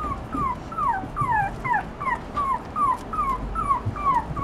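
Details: Toy Poodle puppy whimpering: thin, whistled whines that slide downward, each about a third of a second long. They come roughly twice per second in a steady run over a faint background hiss.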